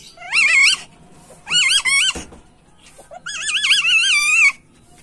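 A male civet in heat repeats a high, squeaky, quavering call three times, each note bending up and down. It is a mating call, heard indoors against a faint low hum.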